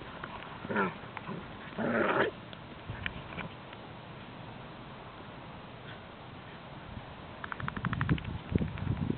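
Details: Ibizan Hounds playing on a beach; one dog takes revenge for earlier bullying and the other gets mad, while a 10.5-year-old Polish Greyhound tries to join in. Harsh, short bark-like bursts early on, then low scuffling growly bursts near the end over steady background noise.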